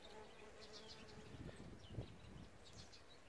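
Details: Buzzing of bees around a bee hotel: a sustained humming tone for the first half, then rougher, louder wingbeat bursts, with soft bird chirps in the background.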